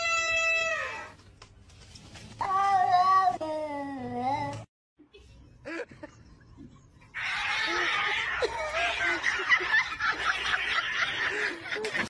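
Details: Domestic cat in a funny compilation giving two drawn-out, falling meows, the second lower and longer, followed by a pause and then a burst of loud, broadband noise.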